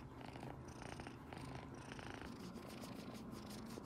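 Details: Domestic kitten purring loudly and contentedly while petted by its owner beside its sister cats indoors; a steady low rumbling purr runs throughout, with faint household noise and brief soft sounds above it.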